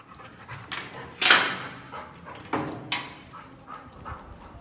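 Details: Labrador out on a morning walk gives loud, airy huffs of breath, several sharp exhalations spaced unevenly across a few seconds with quieter panting between them.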